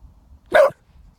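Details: A single sharp dog bark, short and mid-pitched, set against quiet background; the dog is barking at nothing visible, possibly at fog in the distance.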